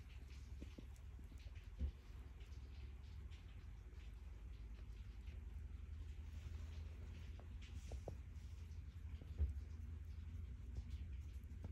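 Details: Stella, a calico cat, purring contentedly while being petted indoors: a steady, deep continuous rumble throughout, with occasional soft rustles and faint clicks from the petting hand.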